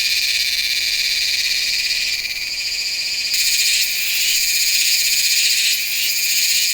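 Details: Cicada song of Meimuna iwasakii, captured in September at Nanzhuang, Taiwan, using a Sony A7s3 and Rode VideoMic NTG. Dense, piercing, sizzling buzz runs without pause, shifting slightly in tone and loudness partway through.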